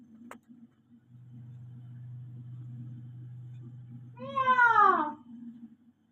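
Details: House cat giving one loud, drawn-out meow that rises then slides downward near the end, after a stretch of low steady humming and a brief click at the start; a person says meow just before.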